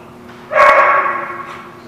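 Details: On 27 January 2017 a dog gives one drawn-out, harmonic bark that lasts almost a second and then fades, with quiet background hum.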